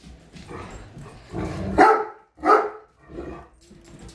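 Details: Great Dane upset by a measuring tape, giving a low grumbling growl that breaks into two loud, sharp barks about a second apart, then a softer trailing bark.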